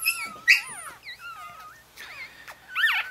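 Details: Newborn Chihuahua litter, four days old, beside mother Bess in Fredericksburg, Virginia: a busy series of short, high, bending squeaks and whimpers, overlapping and rising and falling, with a louder cry at the start and another at the close.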